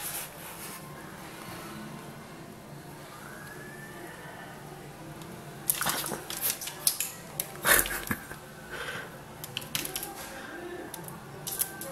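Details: Quiet indoor room tone broken by clicks, rustles and handling noises, with no animal call heard.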